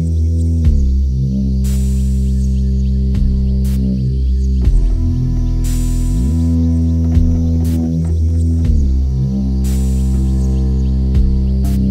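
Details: Deep droning ambient music with sustained low tones and periodic bright swells, with no animal voices.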